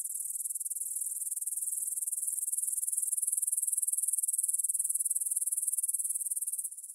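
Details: Grasshoppers stridulating in a meadow field near the Svensky monastery, Bryansk, Russia, at 9pm on 6 September 2020, taken on a Tascam DR-44WL in stereo: a high, shimmering chirr of fast, even pulses, dropping slightly quieter at the very end.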